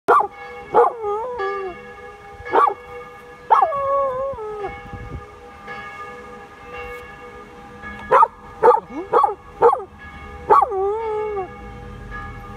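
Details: An 11-month-old male Samoyed puppy singing: short yodelling howls and yelps at intervals, each sliding and wavering through a rising-then-falling arc with strong harmonics, several quick bursts near the end.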